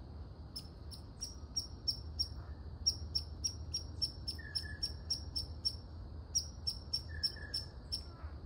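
A red squirrel gives rapid, sharp, high barking chips, several each second, in a steady series.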